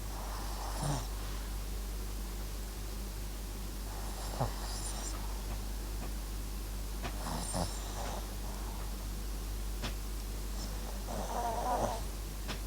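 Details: Max the Papillon and Japanese Chin mix sleeps and snores gently, short husky rasps recurring about every three to four seconds, faint and breathy in a quiet indoor room with low hum.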